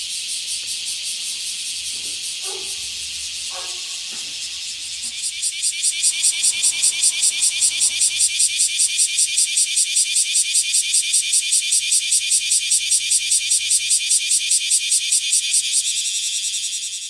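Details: Small summer cicadas in Japan, heard on waking, give a high, harsh, sizzling buzz that grows louder, then throbs in a rapid, even rhythm, with faint low knocks and rumbles beneath at the start.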